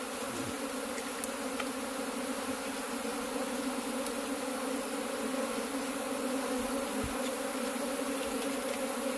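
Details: Honey bees in cultivation, their colony under inspection for the queen. A soft, constant drone with steady low overtones continues for the whole stretch, with occasional faint ticks.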